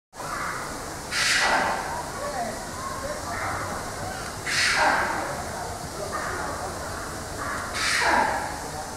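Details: White-naped mangabey (Cercocebus atys lunulatus) named Racky, giving three loud, harsh, rasping calls about three seconds apart, each a broad burst that slides downward, with softer murmuring sounds between them.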